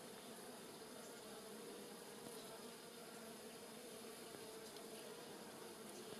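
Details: Giant white-tailed bumblebees and smaller honey bees foraging on rosemary in a village garden at Polichnitos, early November 2020 sunshine; a steady, dense droning hum of many wings with a faint low buzz band, continuous throughout.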